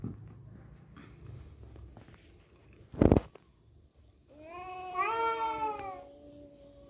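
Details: Cat scrap over a female: low murmuring noise, a sharp loud thud or clatter near the middle, then a long wavering harmonic yowl that slowly falls in pitch.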